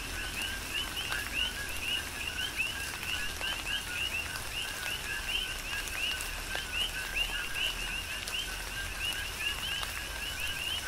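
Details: Rhythmic coqui frog chorus in tropical rain on Hawaii's Big Island, countless short rising two-part whistles packed densely and continuously, with rain hiss and intermittent drops underneath.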